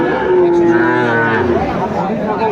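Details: Single drawn-out moo from a Sahiwal bull calf at a Comilla cattle market, 6 July 2024: a steady, slightly falling tonal call lasting about a second and a half, with market murmur behind it.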